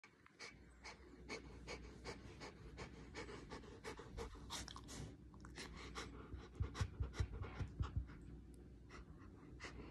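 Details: Samoyed tired after play, held in someone's arms, breathing hard: rapid rhythmic panting at roughly two and a half breaths per second, each breath a soft broadband huff, a few louder low thumps near the end.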